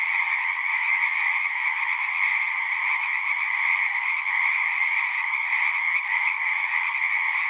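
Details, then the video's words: Many frogs calling together in a thick, continuous chorus: an even, shimmering trill layered in a higher and a lower band, constant in loudness from start to finish, nothing else audible. "One hour of singing frogs."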